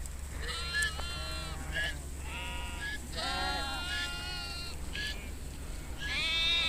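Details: Nomadic Kashmiri sheep herd grazing outdoors in Kashmir, several animals bleating in overlapping wavering, quavering calls, some higher and some lower, spread through the seconds over a steady low rumble in the background.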